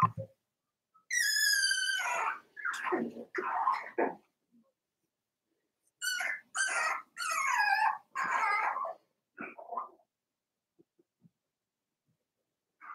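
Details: Four-week-old Cavalier King Charles Spaniel puppies from Daisy's litter in their indoor puppy pen. High, drawn-out whines with bright overtones come in two bursts, the first falling in pitch, separated by a few seconds of quiet.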